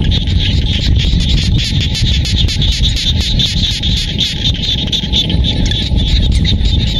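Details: Countryside frog chorus from Cambodian rice fields in Siem Reap. Many callers overlap in a continuous, rattling high trill, beaten into quick pulses, over a constant low rumble.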